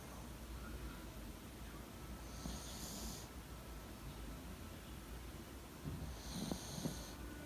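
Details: Yorkie dozing in a person's bed at 09:15 on 28 February 2019, breathing in faint snores; two drawn-out breathy rasps about four seconds apart over steady low room hum.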